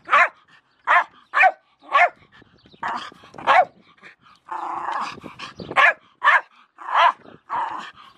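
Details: Milo, a Jack Russell Terrier, barks rapidly at a shovel; quick sharp barks come in runs, with a longer noisier stretch near the middle.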